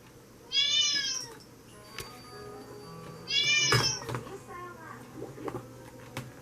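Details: Maine Coon tabby cat giving two high, arching meows about three seconds apart, each a rising-then-falling cry rich in overtones, with faint low indoor background noise between them.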